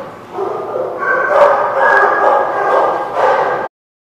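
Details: Dogs barking at a place called The Barking Lot, recorded 23 June 2017; overlapping barks and yips run for about three and a half seconds, then stop abruptly into silence.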